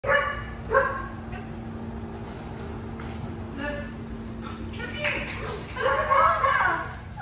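A Siberian Husky gives excited, high whining yips in short bursts as it greets its owner.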